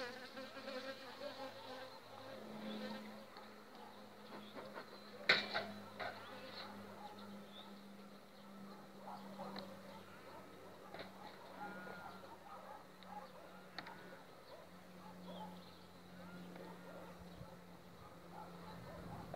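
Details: Overwintered honey bee swarm on five frames, two weeks before acacia flowering; continuous droning buzz with a low steady hum underneath, a sharp knock near the middle and occasional clicks.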